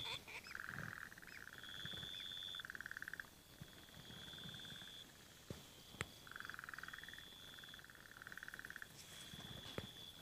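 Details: Burrowing frogs at dams refilled by recent rain, egg-laying underway: long pulsed rattling calls in overlapping bouts, a high steady whine above, scattered clicks and a few sharp knocks.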